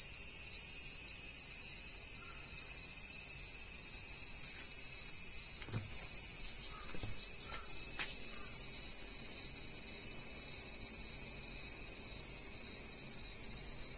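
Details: Cicada calling as one unbroken, high, hissing drone that holds an even loudness for the full fourteen seconds. A few faint, brief lower chirps and clicks sit beneath it.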